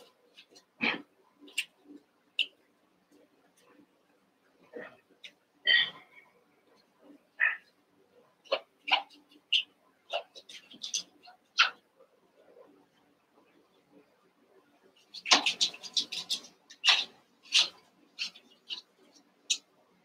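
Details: Eight young Cavalier King Charles Spaniel puppies wrestling and playing together in a pen: a busy run of squeaky yips, little barks and high squeals at irregular intervals, with a dense burst of overlapping yelps and scuffling midway through.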